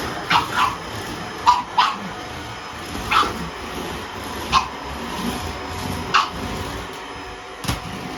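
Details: Young pug puppy threatening a vacuum cleaner, giving single or doubled high yappy barks spaced one to two seconds apart against a constant machine hum.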